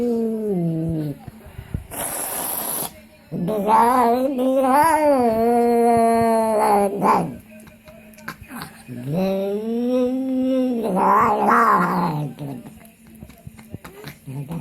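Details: House cat uttering weird sounds while eating: several long wavering moaning cries separated by pauses, with a brief hiss-like burst early on.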